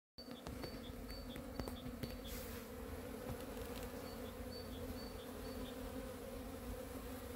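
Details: Honey bees flying in spring sunshine on 13 February 2023: a steady, low, droning hum of many bees that holds unbroken throughout, with faint high chirps from small birds repeated in the background.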